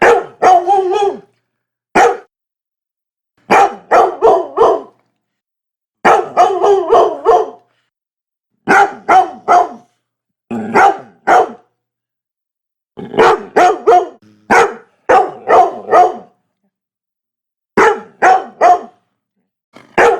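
A Labrador Retriever barks in quick bursts of three or four deep, loud woofs with short pauses.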